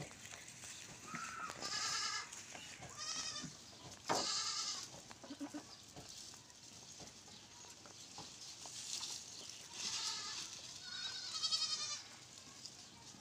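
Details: Goats on a farm calling in short, trembling bleats, some sharp and loud, others softer, spaced unevenly over a hissy background with occasional knocks.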